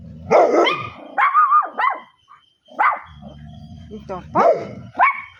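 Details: Dog barking indoors in loud, rough bursts, about five barks spaced roughly a second apart, some slightly drawn out, over a low background rumble and possible voices.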